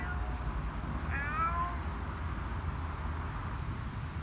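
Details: A male domestic cat in heat gives one drawn-out, wavering meow over a steady low rumble.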